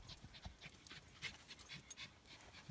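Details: Four-week-old Norwich Terrier puppies, one of a litter of three, visited at Mouchnice on 25 August 2018; quick breathy panting bursts repeat several times a second, with soft clicks and rustling around them.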